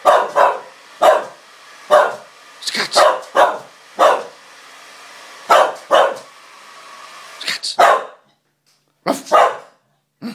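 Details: Scottish Terrier dog barking in sharp, loud bursts roughly every second, some doubled, about a dozen barks before a short gap and a final pair; a man speaks just before.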